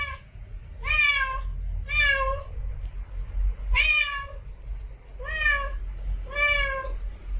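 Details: Village cat giving five loud meows, each a drawn-out wail that rises then falls, spaced about a second apart, with steady low-pitched background rumble.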